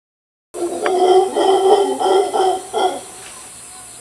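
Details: Mantled howler monkeys in Costa Rica give deep, hoarse, guttural pulses in a rough rapid series lasting about two and a half seconds, then fall quiet, leaving faint background hiss.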